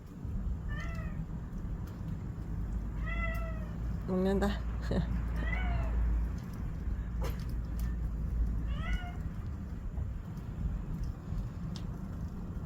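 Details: Domestic cat in the evening around feeding time, giving a string of short, downward-curving meows about every two seconds early on, then a last one near nine seconds, over a steady low hum with a person talking softly.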